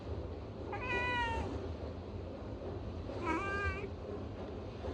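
A Bengal cat gives two short, rising-then-falling meows as a greeting, about two seconds apart.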